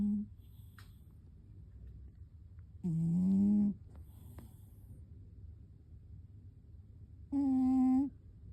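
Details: A sleeping cat gives two short, buzzy, humming snores about four seconds apart, with quiet low hum between them.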